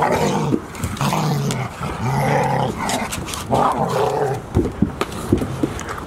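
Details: Low rumbling growls from Golden Retrievers at Ain Village on 11 October 2018, day 169 of the puppy Chiro, with Owl arriving that evening; several rough bursts separated by brief gaps, with sharp knocks and rustling.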